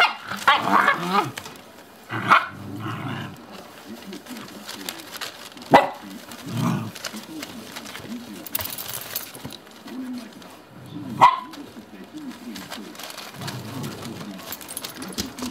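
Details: Shiba Inu mother and her pups, the mother on a leash. Sharp barks come in scattered bursts at irregular intervals, with softer low murmuring and rustling between them.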